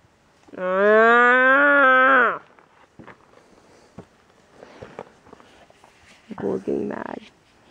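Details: A single strong moo from cows being herded, steady and harmonic-rich for nearly two seconds, followed by quiet rustling, footsteps and a rough, noisy vocal burst.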